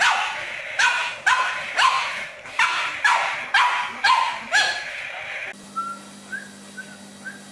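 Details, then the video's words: Pug giving a steady series of sharp, loud barks about every half second, then a quieter stretch near the end with faint high whistle-like squeaks over a steady low hum. "41 Funny And Cute Pug Videos Compilation 2016 Funny Dog Videos 2016"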